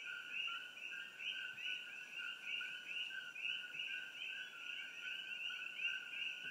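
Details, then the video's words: Layers of Coqui frogs, Eleutherodactylus coqui, introduced from the Caribbean, calling in trees near Hilo, Hawaii; iPhone recording of high whistled two-note calls repeating many times over, with a thin constant high-pitched tone in the background. "frogs and other sounds from Old Mamalahoa Highway, near Hilo, HI"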